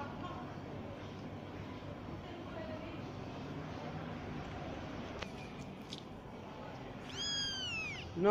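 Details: Active domestic kitten that roams around all day playing and looking for food, one of several siblings; a single clear, high, falling meow near the end, following a steady background hum and a few soft knocks.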